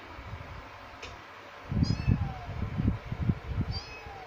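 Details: Two kittens, a male and a female, make short high-pitched meows, three thin calls in quick succession, while low thudding and rustling noises fill the background.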